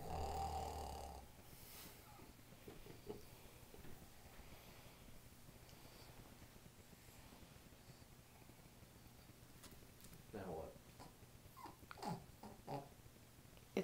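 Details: Pet dog Bonnie snoring as she is petted indoors, low rumbling breaths repeating quickly and unevenly, with a steady background hum and brief human voices and rustling near the end.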